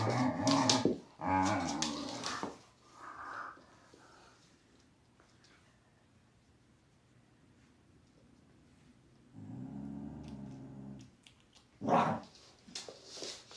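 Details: Thai Bangkaew Dog mother teaching her puppy indoors: harsh, harmonic growling barks in two quick bursts, then near silence, another sustained growl around ten seconds and a sharp yelp near the end.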